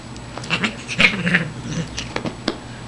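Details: Shiloh, a female Siamese cat, at playtime indoors with her owner: short, strained meow-like cries cluster around the middle, over a low hum, with rustling and a man talking nearby.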